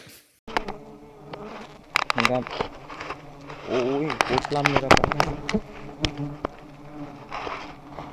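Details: Giant honey bees swarming as two high nests are harvested; a steady low buzzing drone with layered harmonic hum, broken by sharp clicks and knocks, and a man talking in the background.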